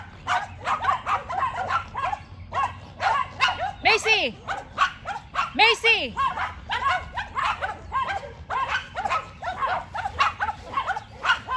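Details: Yorkshire Terrier Macy barking back and forth with two neighbouring dogs; steady volleys of short, shrill barks, broken by a couple of longer, descending yelping cries around the middle.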